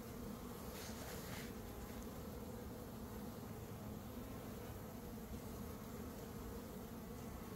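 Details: Captured swarm of honey bees at the start of May, after a honey dearth ended. A steady, low buzzing drone with a deep hum continues unbroken, joined by a faint brief rustle at the end.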